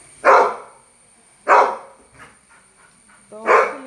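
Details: Labrador dog barking, three loud, sharp single barks spaced roughly a second apart, with a faint softer sound between them and a steady high electronic whine in the background.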